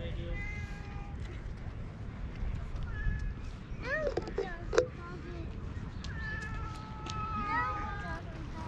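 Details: Stray cat with a hoarse voice being affectionate outdoors, filmed with a GoPro; short, breathy meows around four to five seconds, with a person talking softly in a high voice and steady low background hum.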